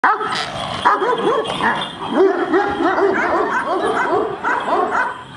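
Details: Several giant Kangal dogs bark aggressively at each other, a dense overlapping chorus of loud, harsh barks with no pauses, some higher yelping notes mixed in.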